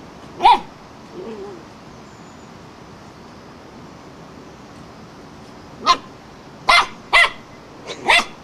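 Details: Wire-haired fox terrier barking at a flowerpot; one sharp bark, a long pause with faint background noise, then a burst of five quick yappy barks toward the end.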